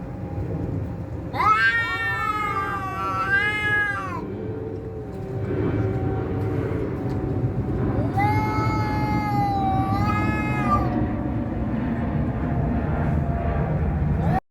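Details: Cats fighting: two long, wavering, harmonic yowls rising and falling, the first lasting about three seconds and the second starting after a pause, over a steady low rumbling background hum.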